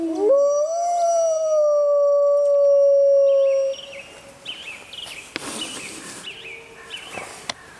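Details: Grey wolf howling in the wild at full moon: one long, smooth, steady howl after a short rising start, with a second voice above it; after it stops, faint scattered calls and a later low tone.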